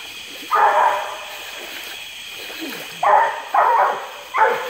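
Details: Wipeout Lucky Penny, a Treeing Walker Coonhound pup of Zeb 3, treeing in a small flooded swamp across from Porter Bayou near Indianola, Mississippi, July 12, 2016, after rain at 84 degrees; four loud, hoarse barks, one alone then three close together, over insect hiss.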